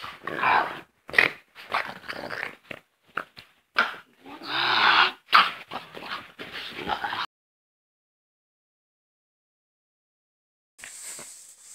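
A French Bulldog gives a run of snuffly whines, grunts and short yips.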